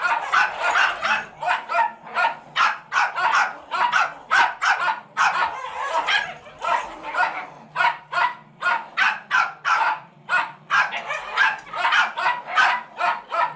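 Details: Foster Rat Terriers from a rescue, a pair, one in a sweater, vocalise while other dogs play indoors; a dense, nearly continuous stream of shrill yips and barks, several per second, overlapping voices throughout.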